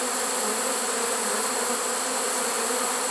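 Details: Short stretch of a honey bee swarm inside a swarm trap, taken late in the season on 1 September 2019. The buzz is unbroken and even, a thick low hum blended with steady high hiss.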